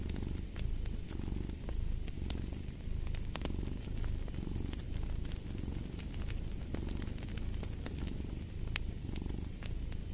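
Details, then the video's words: A cat purrs in a deep, even throb that rises and falls in soft waves, while a wood fire snaps and crackles with frequent bright pops. "Purring of a Cat"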